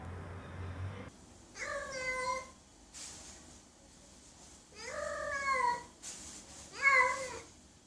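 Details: Domestic cat giving three drawn-out meows, each a wavering harmonic call with a falling tail, spaced roughly two seconds apart in a quiet indoor room, with a soft click between them.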